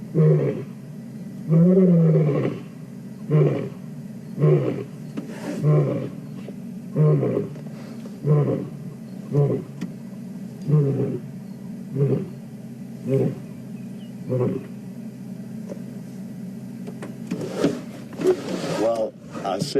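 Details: On a morning drive on 4/4/2015, a male lion calls, heard from a stationary vehicle. He roars in deep, booming moans that break into a series of shorter grunts.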